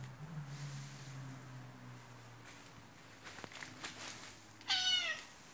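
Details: Attention-seeking white Turkish Angora cat, rolling about on the floor, utters one brief, clear meow that climbs slightly and then falls away, near the end after quiet rustling and low background hum.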